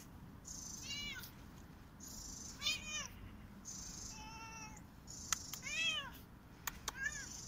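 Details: Korat cat playing on a tree and running in a garden in autumn, giving four short meows about a second apart, each a rising then falling tone with bright harmonics, over steady background hiss and high insect-like tones.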